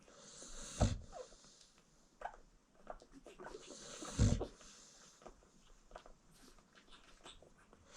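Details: American Bully mother sleeping while nursing her newborn puppies, kennel setting indoors: two deep, breathy snores about three seconds apart, with soft shuffling and faint suckling-like noises between them in a small quiet room.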